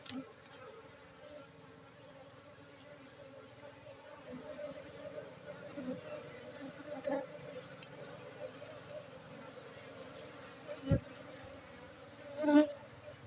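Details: Honeybees at a bee farm in Bener Meriah, Aceh, during a honey harvest on Friday 4 August 2023; a steady droning hum with voices in the background and a few sharp knocks near the end.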